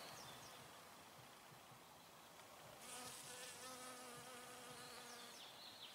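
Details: Honey bee collecting nectar from flowers, a steady low buzzing hum that swells and grows louder midway, with faint high bird chirps in the background.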